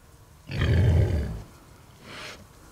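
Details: A huge, unhappy sow gives a deep, rumbling growl at night, followed by a softer breathy grunt.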